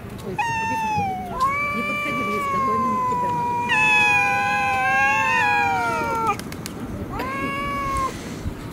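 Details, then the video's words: Fighting stray cats in a Russian city give prolonged, wavering yowls, two voices overlapping in the middle, each howl sliding slowly downward and lasting several seconds, followed by a shorter rising wail near the end. "fight cats, драка котов"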